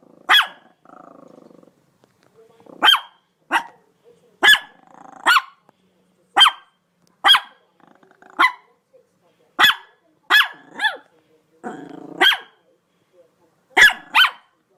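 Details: Domestic dog giving about a dozen separate sharp barks at uneven intervals over fifteen seconds, with a faint low rumbling sound in some of the gaps.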